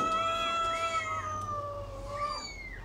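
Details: Feeding cat and kitten give clear, rich, high meows. Sustained tones bend gently downward while short, arching cries overlap them. The background is quiet.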